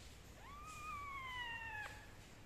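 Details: A kitten being dried with a towel and a gentle hair dryer gives one long, drawn-out meow that rises quickly, then slowly slides downward over about one and a half seconds, above a low steady hum.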